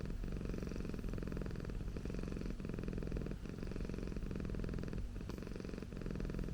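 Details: A domestic Persian cat named Okayu purrs up close: a low, grainy rumble holding steady, with faint breaks at each breath every second or so.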